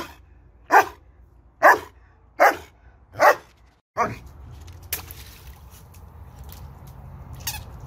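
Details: German Shepherd barking while playing with water: five sharp, loud barks spaced under a second apart, then quieter splashing and rustling fill the rest.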